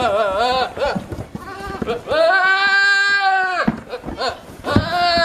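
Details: Goats screaming with silly, human-like voices: short wavering bleats, then a long steady scream held for about a second and a half, followed by more loud cries, with some speech in the background.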